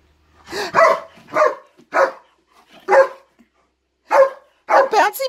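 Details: German Shepherd agitated by something in the closet, barking in a rapid series of harsh, loud woofs roughly every second, ending in a quick cluster of overlapping barks; faint human voice possibly mixed in.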